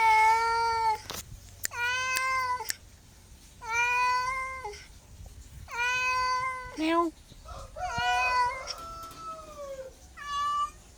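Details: Domestic cat meowing repeatedly, about every one to two seconds: clear, harmonic-rich cries, mostly level then dipping at the end, a few bending downward and longer, with small clicks and handling noises between calls indoors.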